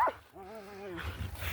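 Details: Puppy in the morning giving a drawn-out whine of stacked harmonic tones lasting about half a second, steady then falling slightly, followed by rustling; a woman talks softly to the puppies just before.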